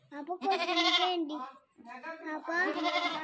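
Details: Newly bought goat that kept calling constantly, giving two long, strained, quavering bleats separated by a brief pause, with faint background music.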